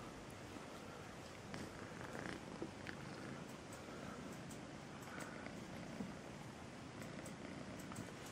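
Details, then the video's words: Kitten purring sweetly: a continuous soft rumbling purr close to the microphone, steady throughout with faint rustles and small clicks. "El gatito con el nombre Melissa dulce ronronea"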